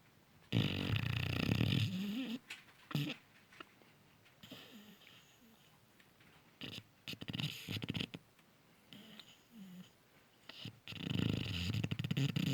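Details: A Cane Corso puppy sleeping deeply and snoring loudly: rough, raspy inhaled snores with a low buzzing core, in bursts separated by quiet pauses, the loudest at the start and end.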